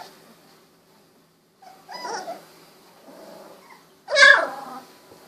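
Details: Golden Retriever puppies, 16 days old, eyes recently opened, wiggling and walking; two short bursts of puppy noise, a soft murmuring whine near two seconds and a louder yelping squeal just after four seconds, with quiet pauses between.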